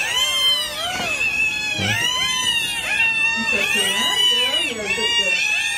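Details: Six newborn Pembroke Welsh corgi pups delivered by Caesarean section from a 63-day pregnancy and revived after surgery, indoors: many overlapping high, arching whines and squeals, with a man speaking briefly.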